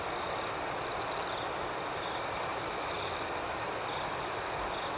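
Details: Nighttime crickets keep up a rhythmic, high-pitched pulsing trill, with one louder, stuttering chirp run around one second.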